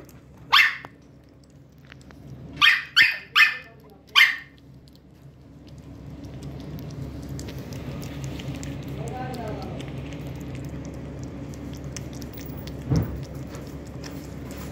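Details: A female Lhasa Apso gives a few sharp, high-pitched barks, one alone and then a quick burst of four.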